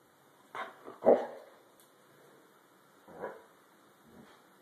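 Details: White German Shepherd Dog protesting being brushed after a shampoo, giving short muffled barks and huffs: two close together near the start, then two softer ones a couple of seconds later, over a faint background hiss.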